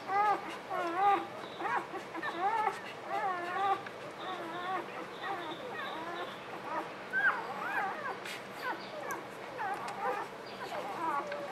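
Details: Newborn puppies squeaking and whimpering in a dense overlapping chorus of short, wavering, rising-and-falling cries, several voices at once with barely a pause across the whole stretch.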